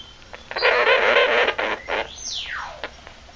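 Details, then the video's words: An angry pet sugar glider, one of a newly adopted pair, lets out a short burst of rough, raspy buzzing lasting about a second. A thin falling sweep follows in a small indoor room. "Angry suger gliders make evil sounds"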